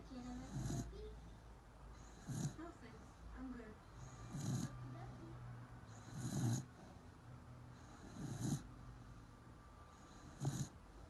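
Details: Corgi asleep and snoring on 30 March 2019, six soft, low rasping breaths spaced roughly two seconds apart with airy hiss on each, a steady background hum and faint murmurs between.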